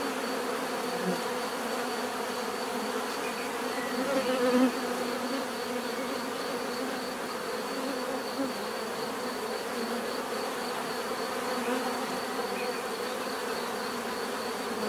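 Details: Bees humming in a steady chorus, an unbroken buzzy drone, with a louder pass by a nearby bee around four seconds in before settling back.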